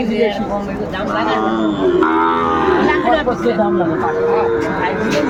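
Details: At a Bangladeshi cattle market near Dhaka, 8 May 2024, Sahiwal bull calves low repeatedly in long, wavering moos while traders bargain loudly and voices crowd the background.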